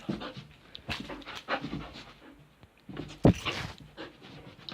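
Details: Dog panting in short, breathy, noisy bursts at an irregular rhythm while being told to sit, with a louder huff near the middle and faint room sounds.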